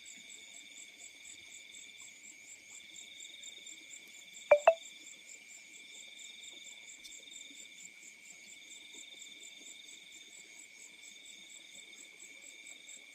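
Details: A steady chorus of crickets in fields at night, with high, continuous trilling that never pauses.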